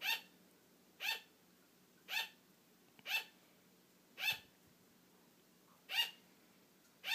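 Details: Female pet sugar glider yapping for attention when her owner begins to fall asleep; bright, brief barks roughly one per second, seven in all, one slightly softer note partway through, quiet indoor background.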